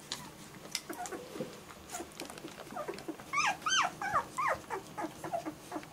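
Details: German Shorthaired Pointer puppies crying indoors: soft scattered whines at first, then a burst of sharper, higher yelps and whimpers packed closely in the second half, several pups calling over one another.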